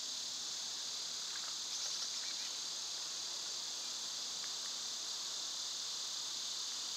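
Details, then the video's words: Loud summer cicadas produce a continuous shrill buzzing wall of sound, steady and unvarying, while brief soft bird notes flicker through near the start. "Cicada sounds"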